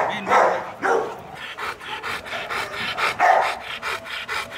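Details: Rottweiler, the 2018 Vietnam champion, at a kennel in Vietnam on an ordinary afternoon during a show-posing session: a few short, rough barks early and near the middle, with rapid repeated panting-like puffs between them.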